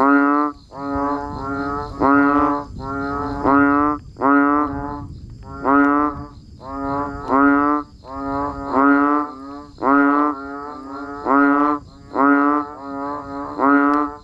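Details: A rainy-weather chorus of banded bullfrogs and frogs: loud, reedy, lowing notes repeated roughly every second, some doubled, from several callers, with a faint rushing background of rain.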